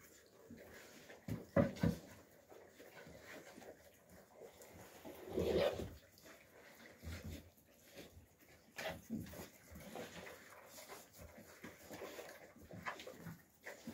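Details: Young Alabai puppies scuffling in winter 2023, Fawn, Alpha and Tiger: scattered short growls and yelps, a longer rough growl near five to six seconds, amid panting and rustling.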